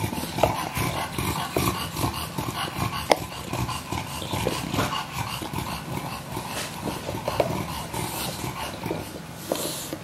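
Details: Two young English Bulldogs, WanWan about one year and six months old and Fe about one year and three months old, recorded December 23, 2015. Low, rough grumbling with whimpering edges runs steadily through rustling and shuffling noise.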